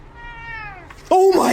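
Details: Domestic cat giving a long, clear meow that slides gently downward over about one second, followed by a louder, shorter cry; indoors, with a person's voice nearby.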